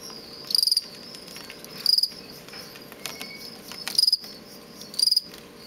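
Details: A captive male fall field cricket singing aggressive song, used in contests between males, in a large plastic bin; bred from crickets collected near Lethbridge, Alberta. Short high pulsed chirps of about five pulses each come roughly every one to two seconds, four chirps in all.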